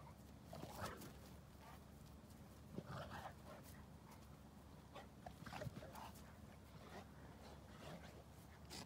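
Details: Two Boerboels, Boss and his son Fuller's Prince Vados, playing together at night, with Boss leading the pecking order; brief scuffling bursts and soft growl-like sounds scattered over a steady low hum.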